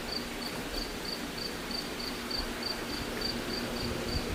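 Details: A cricket indoors, close by somewhere in a pool room; high, clear chirps repeat regularly about three times a second over a steady background hum.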